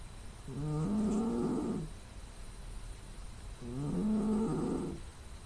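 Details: A sleeping female domestic cat snores loudly, with nasal sounds, recorded on a smartphone in quiet surroundings: two drawn-out, low, buzzy snores about a second each and three seconds apart, each with a slightly rising, nasal tone.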